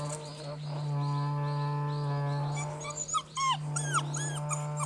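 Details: Two male and two female Border Collie puppies, fifty days old, playing wildly together; several quick, arched whining squeaks follow one another in the second half over a strong low mechanical hum.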